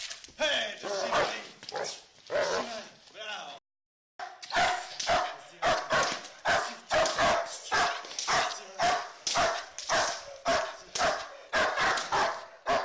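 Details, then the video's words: Black German Shepherd Tayson during protection work: a human voice and some barks open, then after a short gap a rapid run of forceful barks, roughly two per second. "Black german shepherd Tayson protection"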